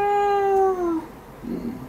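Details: Domestic cat named Angju meowing indoors while its claws are trimmed: one long, steady, tonal cry that slides slightly downward over about a second, followed by a brief low, rough sound.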